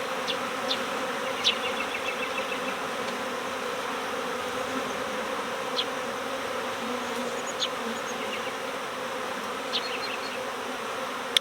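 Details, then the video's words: Honeybees from a swarm recovered next door early in swarm season, the big cluster shaken inside a hive. An even, dense buzzing hum runs the full length, dotted with scattered high bird chirps and clicks. "My Bees Swarmed! Next Door Honeybee Recovery With a Surprise"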